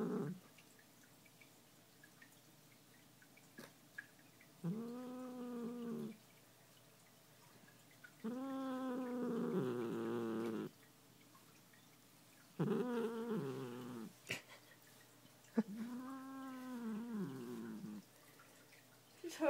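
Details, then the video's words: Muffin, a pet cat who dislikes being brushed, produces four separate low, arching growl-moans a few seconds apart, each rising then falling, with quiet indoor room sound between them. "Growling Cat"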